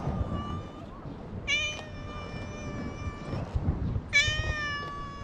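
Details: Stray island cat, wandering in search of something when it meets a man, filmed on a GoPro HERO8. Several harmonic, drawn-out meows: a thin steady one at the start, then two louder, bright meows about three seconds apart, over low wind rumble.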